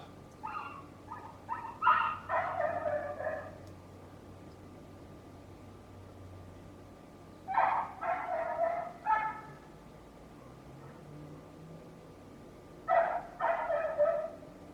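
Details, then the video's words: Neighbour's dog barking in bouts of quick, yappy, mid-pitched barks, three clusters of four to six barks separated by pauses of several seconds, with a low hum in the background. "Neighbor's annoying dog noise"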